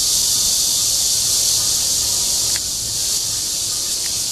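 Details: Mating call of Cryptotympana holsti, the red-veined bear cicada, in Zhongli's Guangming Park, Taiwan. A continuous shrill buzzing drone that drops slightly in loudness partway through, with faint clicks over it.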